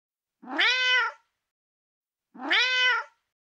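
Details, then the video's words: Female domestic cat giving two clear, drawn-out meows about two seconds apart, each rising at the start and then holding steady, with rich harmonics over a silent background. "Billi Ki Awaz meow | Billi ka awaz | Female Cat Sound | Cat Meow Meow"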